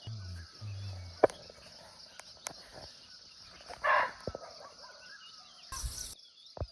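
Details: A single abrupt bark from a barking deer (muntjac) in a Nepal forest, recorded live nearby, set among scattered clicks and taps, a brief burst of rustling noise, and a constant insect drone.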